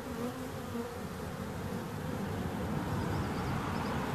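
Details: Continuous buzzing of bees, a thick low drone that holds even throughout, with faint higher chirps from another creature briefly near the end.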